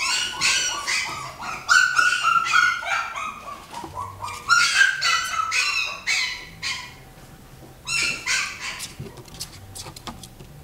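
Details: Miniature Dachshund crossed with Italian Greyhound, a dog uttering bursts of sharp, high barks and yelps in quick clusters, pausing between groups, with a faint whine near the end and a quiet room behind.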